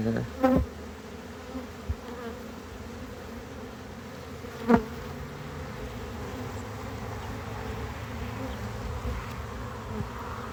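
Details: A hive of honey bees drones steadily while it is harvested and expanded. The low, even hum continues for ten seconds, punctuated by two sharp clanks of equipment and a few faint knocks.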